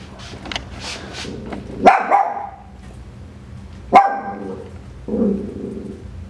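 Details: Coton de Tulear puppies, from a breeder's puppy update, giving two short sharp yips about two seconds apart, then a lower growly grumble, over a steady indoor hum.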